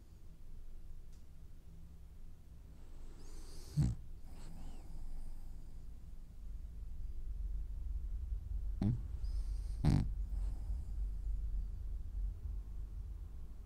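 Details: French Bulldog snoring while dreaming: soft low rumbling breaths throughout, with a few sharper snorts near 4, 9 and 10 seconds standing out over the steady low drone.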